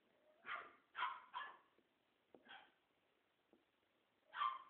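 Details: Playing French Bulldog puppies give a run of sharp yips and barks, three close together early on, then softer grunts and clicks before a final loud yap.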